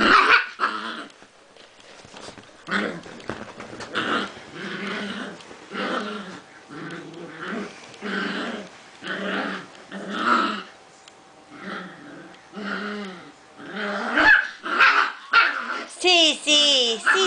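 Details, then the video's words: A Prague ratter at play, giving a long series of short, rough growling bursts repeated roughly twice a second. Near the end these rise into high, wavering whines. "Prazsly Krysarik playing and making noises"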